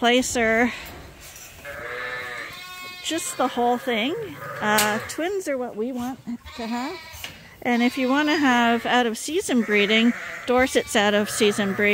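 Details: Lambs on a farm, bottle-fed twice a day to supplement their mothers' milk, calling with a run of trembling, nasal bleats at varied pitches, several animals overlapping, with a person talking at times.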